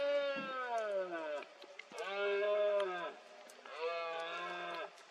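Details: Red deer stag bellowing through the mist in Cantabria, rut (berrea) of 2022. Three loud, rich, drawn-out roars of about a second each, flat then sagging at the end, separated by brief pauses.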